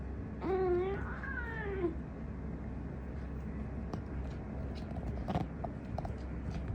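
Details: Kotaro, a pet cat, apparently trying to communicate something: two drawn-out harmonic meows back to back, the first rising and the second sliding down, then quiet room sounds with faint clicks and a low hum.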